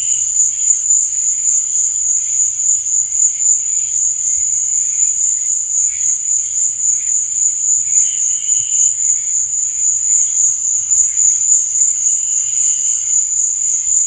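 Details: Crickets at night keep up a shrill, unvarying high trill throughout, while quieter lower chirping bursts appear now and then, most clearly near the end.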